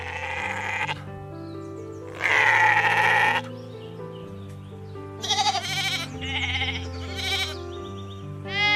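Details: Sheep give several wavering, nasal bleats, one long and loud, others shorter and quivering, over steady background music.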